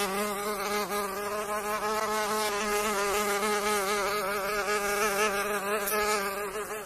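A steady, droning insect whine with a slightly wavering pitch, in the manner of a mosquito in flight.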